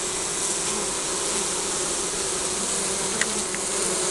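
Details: Honey bees at a beehive in spring, recorded on a compact camera: a dense, steady buzzing hum with low droning tones and broad airy hiss throughout, plus a few faint clicks.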